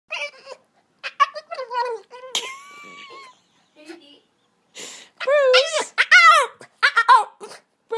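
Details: A male Boston Terrier whines and yips in high, wavering bursts, begging for a yoga ball his owner is sitting on, while she talks to him.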